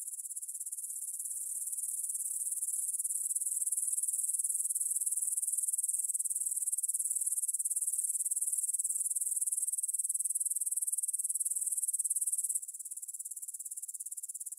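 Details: Meadow grasshoppers near the Svensky monastery, Bryansk, Russia, 9 pm, 6 September 2020, recorded on a Tascam DR-44WL: a very high, rapidly pulsing trill that swells louder after two seconds, holds steady, then drops sharply to a quieter level.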